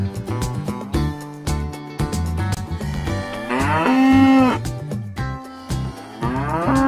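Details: Farm cow giving a single drawn-out, rising then falling moo midway through, set against continuous backing music with steady beats.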